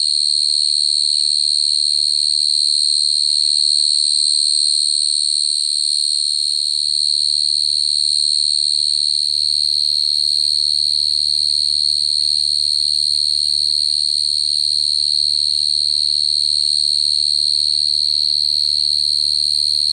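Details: Cricket trilling without pause for twenty seconds, one piercing high note held at an even pitch and volume with a rapid buzzy texture, a faint low-frequency hum underneath.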